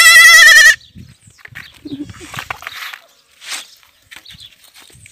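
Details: An orphaned kid goat, rejected by its mother and fed from a bottle, lets out one strong, buzzy, trembling bleat of under a second, followed by quiet handling noises.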